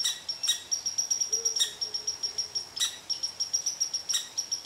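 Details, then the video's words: Angry red squirrel ranting at a cottontail rabbit lying under its favorite tree: a stream of rapid high pips and occasional rough bursts, with a brief faint low tone partway through. "Red Squirrel Upset With Cottontail Rabbit"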